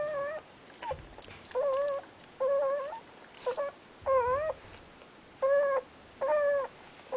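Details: Terrier mix puppies with their mother Amy, indoors; about eight short, high, wavering whines, each under half a second, come in quick succession with quiet gaps between them.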